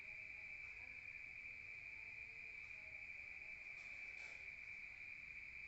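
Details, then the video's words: Crickets calling at night in the countryside, heard from outside: an unbroken high, even trill, joined by a brief muffled thump about four seconds in. "Rural Nature Sound of crickets at night heard from outside"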